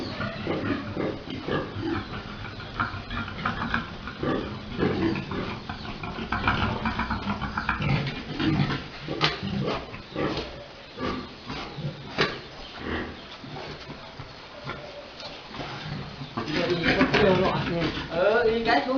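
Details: A big boar and a sow mating on a pig-breeding farm, Dusama Farms, with fast, uneven grunts about four per second and a louder, harsher stretch of vocalising toward the end.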